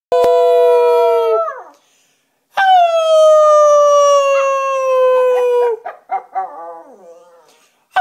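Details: A rat terrier howls along with a person in the wind, long sustained, gently falling tones, then breaks into wavering yips.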